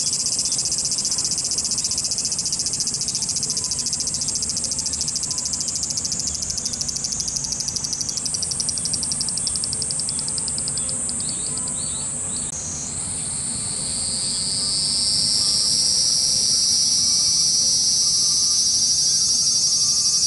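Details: Cicadas in Japan, a swarm screaming: dense, continuous high buzz, pulsing rapidly, with one voice sliding and rising in pitch near the middle and later a steady shrill whine layered over the chorus.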